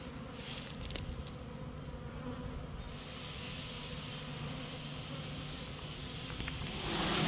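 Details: Honey bee swarm being caught, bees marching into a new home they have chosen; a soft, steady low hum with faint banding, brief clicks early on, and a louder rush of noise in the final half-second.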